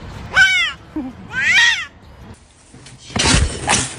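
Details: Pet cat giving two short descending meows about a second apart, each with a bright harmonic sweep, followed by a burst of rustling noise and a clatter.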